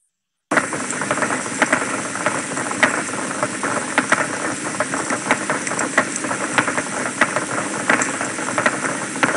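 Sperm whale clicks come through as sharp, dry knocks, several overlapping in loose irregular trains, much like carpenters hammering. A constant underwater hiss fills the background.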